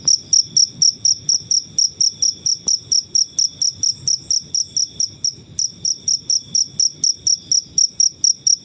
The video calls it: Suara jangkrik alam/Cricket Noises